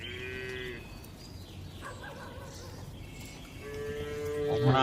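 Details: Calm cattle in a farm barn: a short soft moo at the start, a quiet stretch of barn noise, then a rising, louder moo building at the end.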